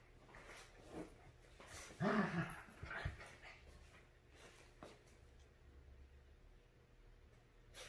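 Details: Two pet dogs, a Havanese and a Maltese named Clam and Bella, tussling over a couch; one low, throaty growl rolls for about a second midway, followed by a brief snort, with quiet indoor shuffling around it.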